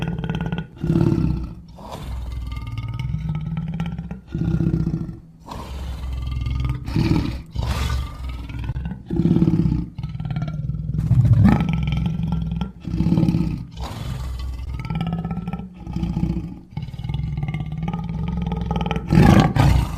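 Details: Wild lions roaring loudly: deep, rumbling roars and grunts come in bursts every one to two seconds, rough growling overtones above the low rumble, with short quiet gaps between the bursts.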